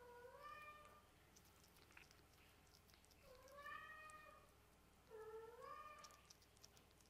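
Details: A kitten playing with a toy ball that keeps rising gives three drawn-out meows, each about a second long. Each swells upward, then slides down in pitch, with roughly two-second gaps. Soft scuffling and tapping come between the calls.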